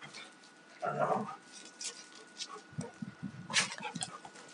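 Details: A rough-playing pair of Alaskan Malamutes, a young male aged two and a female of four and a half, trade a rasping growl about one second in, then a string of short low grunts and scuffles.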